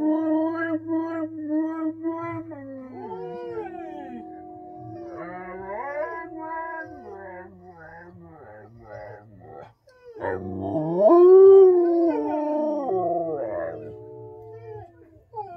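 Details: A Samoyed and a Husky sing along with the television, howling in long, wavering tones that rise and fall over TV music and voices.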